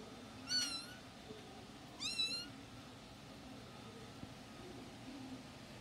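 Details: Somali cat in a pet shop giving two short, high-pitched, slightly falling meows about a second and a half apart over steady indoor background hum.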